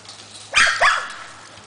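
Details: Boarded dog at play at Stonehedge kennel, a dog resort, in summer, giving a loud double bark, two sharp harmonic yelps close together, against a faint steady low hum.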